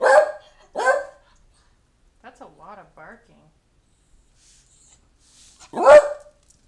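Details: Dog barking at its owner to hurry up and get ready to leave for the library: two quick loud barks, a pause filled with a person's voice, then one more forceful bark.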